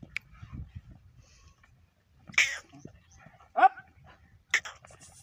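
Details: American Bully, a large dog in Pakistan, letting out three sharp, loud single barks spaced one to two seconds apart, with quiet talking and shuffling between them.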